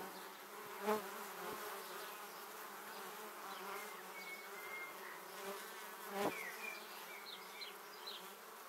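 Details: Honey bees flying close past a 360-degree camera on their way to the beehive, many bees together: a steady droning hum with harmonic bands, louder buzzes as single bees pass near, around one and six seconds, and faint high chirps.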